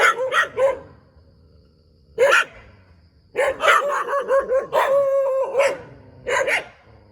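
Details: Dog barking beside a rubber plantation in Thailand: short sharp barks in bursts of two or three, pauses between groups, with one longer whining bark near the end.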